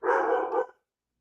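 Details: Pet dog barking at the rain indoors while severe storms with heavy rain move through the region: one short, harsh, full-bodied bark lasting under a second, then quiet.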